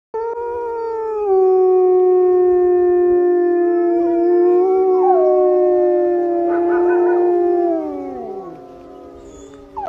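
A wolf gives a long, steady howl that holds its pitch, then bends and slides downward at the end.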